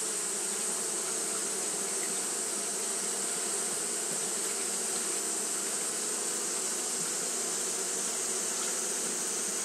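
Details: Continuous wing-buzz of Japanese honey bees fanning on a hot day, a massed low drone with slight flickering texture and a constant high hiss above.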